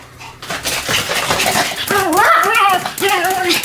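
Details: Pomeranians Sam and Marin in a barking duet; after a quiet start, excited yelping rises into wavering, high whining yips that bend up and down in pitch, loud and close indoors.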